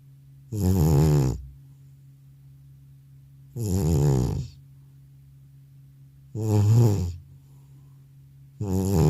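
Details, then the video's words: After coming home from the vet, an aged cat sleeps and snores heavily; four low, gravelly snores arrive at uneven intervals of roughly two to three seconds, the room otherwise quiet. "나의 늙은 고양이의 우렁찬 코골이 리얼사운드"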